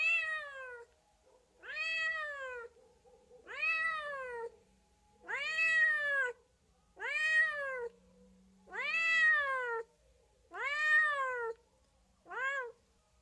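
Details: Steady sequence of eight arched meows from a cat, each about a second long, rising then falling in pitch, repeated roughly every one and a half seconds, quiet room behind.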